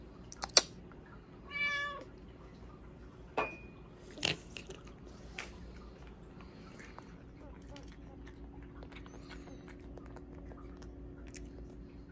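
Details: Hua, a pet Bengal cat eating Japanese cod sticks, gives a single short harmonic meow near the start; sharp clicks, chewing sounds and low household hum follow, with no further calls.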